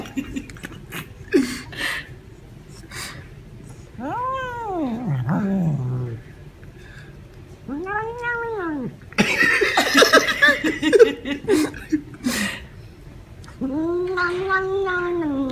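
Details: Domestic cats and kittens meowing while eating, their vocalising likened to saying yum yum yum or nom nom nom. Three long, drawn-out meows rise and fall in pitch, with a burst of noisy clatter between them.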